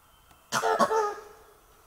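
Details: A langur in Kanha National Park, March 2024, gives a single harsh, cough-like alarm bark after seeing a tiger, a call that alerts other animals to look around.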